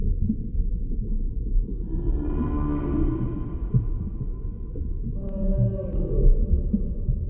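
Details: Humpback whale singing underwater: a rich, swelling harmonic cry rises out of deep rumble after two seconds and wavers for about three seconds, followed by a shorter, bright tonal unit near the end.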